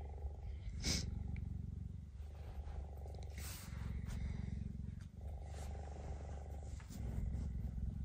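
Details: Captive female cheetah guarding her territory from a male cheetah in snowy weather; three drawn-out bouts of low, fast-pulsed rumbling, each about two seconds, separated by brief breaths, with little other sound.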